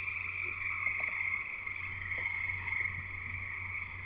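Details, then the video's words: Chorus of frogs singing near a house in Escanaba, Michigan, Upper Peninsula, giving a jungle-like wall of sound: unbroken high shrill trilling and peeping, with a few faint soft knocks and a steady low hum below. "Frogs Singing in the U.P."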